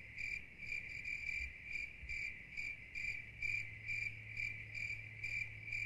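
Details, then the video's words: Crickets chirping steadily: short, high, bright pulses repeated about twice a second with a continuous shrill tone beneath, and a faint low hum in the background. "Soothing Cricket Sounds"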